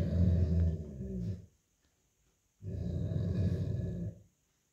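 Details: Growling from an old Golden Retriever in an indoor tug-of-war over a plush dog toy with an American Akita puppy; two low, rumbling growls of about one and a half seconds each, separated by a second of quiet.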